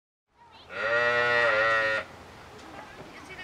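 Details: Sheep, shown as the real-life counterpart of the Zootopia character Bellwether, gives one steady, nasal bleat with many harmonics, lasting about a second and a half before ending abruptly, followed by quiet background noise.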